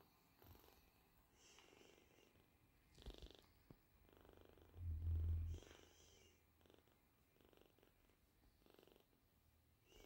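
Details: A British Shorthair kitten, eyes wide open and feeding well, purrs softly in a low, steady rumble with a brief louder burst midway and faint handling noises.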